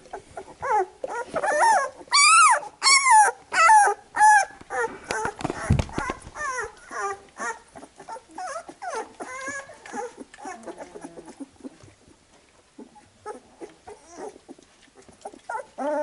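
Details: Labrador Retriever puppies under their mother's cleaning after nursing: a burst of loud, arching squeals at first, then many shorter, quieter whimpers and squeaks repeating rapidly and fading, with a brief thud early on.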